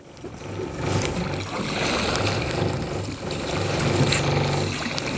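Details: No animal voice stands out; a steady low boat engine hum with lapping water fills the recording on the Pacific Ocean near Langara Island.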